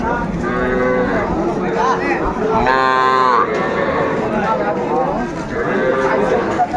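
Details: Sahiwal bull calves at Ambari cattle market on 18 May 2024, as a farmer from Barishal buys young stock. A long harmonic moo rises and holds for under a second amid steady market chatter, shorter lowing calls and men talking nearby.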